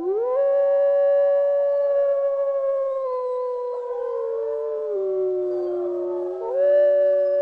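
Wolves howl together in long, smooth, overlapping tones that hold steady and slowly waver in pitch.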